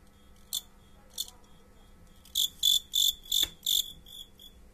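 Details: Fighting crickets chirping: two short, shrill, isolated chirps, then a quick run of about six loud, high, rasping pulses, with a brief click in the middle of the run and a quiet background.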